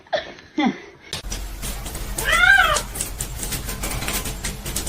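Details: Domestic cat from a funny cat compilation letting out one clear arched meow, rising then falling, over steady background noise, with a few brief squeaky sounds just before.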